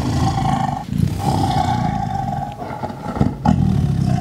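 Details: Close-range Sumatran tiger roar, about two meters off, recorded with basic gear: a continuous low, gravelly rumble with pulsing texture and brief dips, a steady humming tone running underneath throughout.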